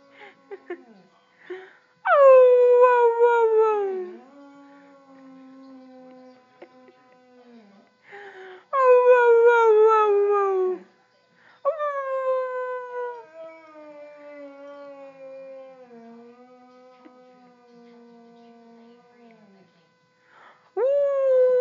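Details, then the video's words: Boxer puppy howling: long drawn-out wails that start high and slide down, then hold a wavering lower tone, repeated about every six to nine seconds, with quiet whimpers in between. "baby boxer howling"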